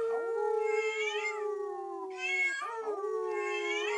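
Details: Teacup Chihuahua named Bella howling indoors at a meowing cookie jar, her family howling in the background; a steady drawn-out tone runs beneath the jar's rising, wavering meows.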